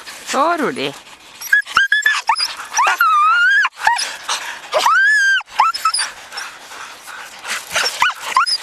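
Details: Siberian Husky yearlings and an adult on a spring run in 2011: loud, drawn-out, wavering howl-like whines and yelps, some long and arching, with rustling and people's voices outdoors.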